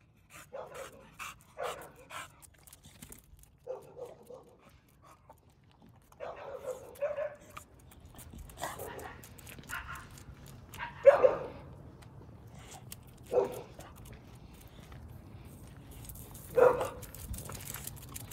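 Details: American Bully barking: quick clusters of short harmonic barks at first, then quieter ones, then single louder barks spaced a few seconds apart near the end, with faint voices in the room.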